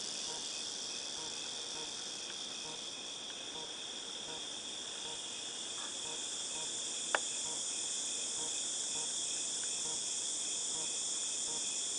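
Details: Cicadas recorded in August 2018 give an unbroken high whining buzz with a faint regular pulsing beneath it. A single sharp click cuts through about seven seconds in.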